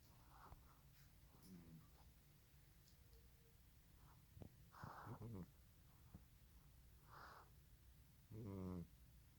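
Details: Bubbles, a Russian Blue cat, snores while sleeping in an awkward position; two short rasping snores with low buzzy harmonics arrive near the middle and at the end, separated by faint clicks and quiet room hiss.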